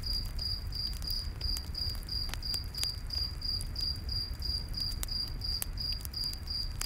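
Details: Crickets keep up a fast, even, high-pitched chirp in a nighttime forest, about three pulses a second, over the popping and low hiss of a nearby campfire.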